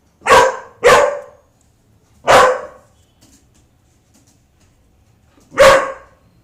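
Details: Golden retriever making high, baby-like cries: four short bursts with a tonal band and broad upper energy, three within the first two and a half seconds, then a pause before a final cry near the end.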